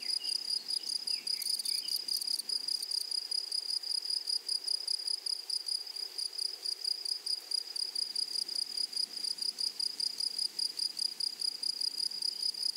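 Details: Grasshoppers on a flowering prairie produce a continuous piercing trill of fast regular pulses at one high pitch. A short crackly burst sounds near the start, then the trill carries on steadily.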